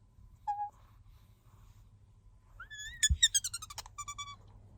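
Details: Bingo the pet otter, whose squeaks signal sleepiness or a wish for attention, gives one short squeak, then after a pause a rising cry and a fast burst of clipped chirps.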